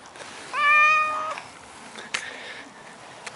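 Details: Maine Coon cat uttering one short, bright meow of under a second, clearly tonal and level, followed by faint clicks and light household noise.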